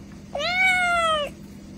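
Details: A cat or kitten giving one clear, level, drawn-out meow lasting about a second, rich in harmonics and slightly falling at the end, with quiet background hum.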